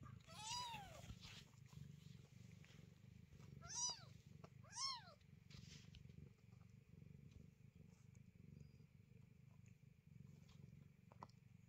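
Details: Newborn kitten of the cat Chloe crying at night: a few thin, high meows bending down in pitch in the first five seconds, over a steady low rumble and faint background hum.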